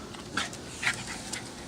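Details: A pet dog that is good at fetching and bringing back objects, panting softly: a few short, breathy, hissing puffs spaced about half a second apart in a quiet room.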